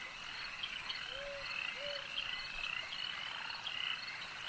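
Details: Frogs at a lake: a dense, steady chorus of high trilling croaks, with two short, low, flat calls standing out just past the first second.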